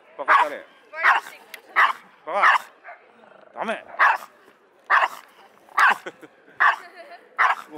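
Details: Pomeranian and Pekingese mix dog, bad-tempered and prone to barking at people and dogs alike, barking nonstop outside the Yoyogi Park dog run on a first visit: about ten sharp, harmonic yapping barks in quick succession, roughly one every 0.7 seconds.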